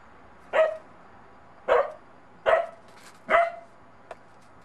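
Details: Wary of a daughter's little snowman on his first day in snow, Bedlington Terrier puppy Monty gives four evenly spaced high, sharp barks about a second apart, followed by a faint click.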